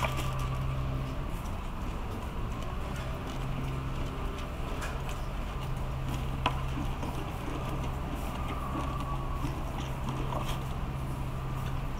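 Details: A steady low mechanical hum with soft crunching and patter throughout, and no animal calls.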